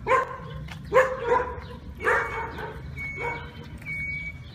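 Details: Irish wolfhound, a sighthound breed native to Ireland and the tallest of all dog breeds, barking: four full-voiced, harmonic barks spaced about a second apart. The last ones are softer, over a faint steady high tone and low background hum.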